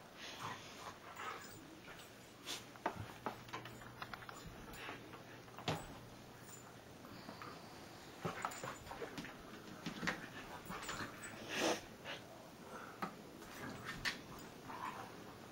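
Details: Husky rustling indoors on a Sunday morning: scattered scuffing and clicking noises spread over the whole recording, with faint whimper-like sounds among them and a steady low hum behind.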